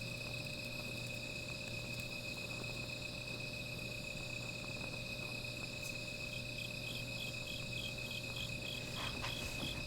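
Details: Night insects trill in a steady, high, unbroken drone beside a small fire, joined later by a faster pulsing chirp.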